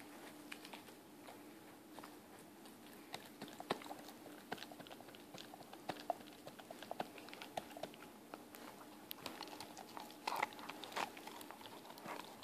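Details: A 4-month-old Weimaraner puppy gnaws a bone, with crunchy, irregular clicks and cracks under a faint steady hum.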